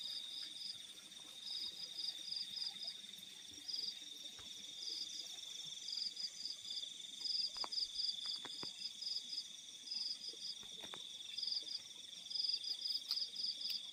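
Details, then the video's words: Crickets calling in the fields at night: a steady high-pitched drone runs underneath while brighter pulsed trills come in short bursts, repeated in irregular groups, with a few faint clicks in the quiet background. "The Sound of Crickets in the Fields at Night"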